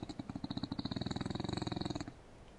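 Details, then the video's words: Sleeping English bulldog lying open-mouthed on an indoor couch gives one rapid rattling snore lasting about two seconds, fast buzzy pulses like a purr, then fading into quiet. "Adorable bulldogs snores with its mouth open"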